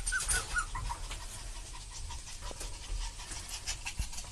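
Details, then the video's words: An excited parent dog with its puppy gives brief high whiny squeaks at the start, then rapid, breathy panting continues to the end, punctuated by a couple of soft thumps. "おおよろこびの親子犬Awesome parent and puppy"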